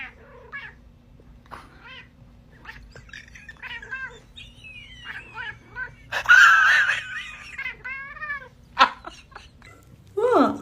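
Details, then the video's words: Domestic cats in a comedy compilation of cats said to speak English, meowing in short bent calls, a longer wavering meow at mid-clip, then a loud harsh cry near the end; people coax them to talk, with music. "Funny Cats Speaking English"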